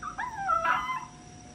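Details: Pet Chihuahua crying, one short high whine that slides down and then rises again into a brief louder wavering note, less than a second in all.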